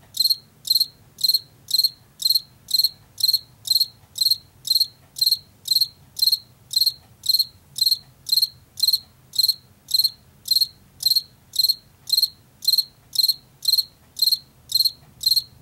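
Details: Field cricket, heard in late summer and fall in fields and forest edges, giving steady high-pitched chirps about twice a second, each a short pulsed burst, continuing evenly through the clip with only faint low background hum.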